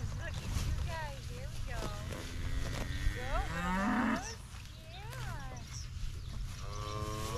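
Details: Highland cattle eagerly taking fresh grass after being kept on hay, a young calf among them; several wavering moos overlap, one loud sustained bellow in the middle, with rustling and light outdoor noise.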